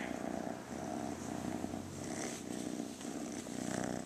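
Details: Playful, affectionate rescued female kitten that constantly purrs, close up: a continuous rumbling purr swelling and easing in slow waves as she breathes in and out, about once a second, no other sounds.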